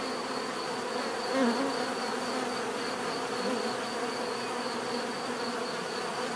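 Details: Continuous low hum of many bees, one buzzing past more loudly near one and a half seconds, over a faint evenly pulsing high-pitched tone.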